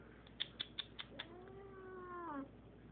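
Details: Eight-year-old female Siamese cat being introduced to a five-year-old male cat gives a long, drawn-out wavering howl, sliding down at the end, after a run of five short sharp taps; a quiet steady hum sits underneath.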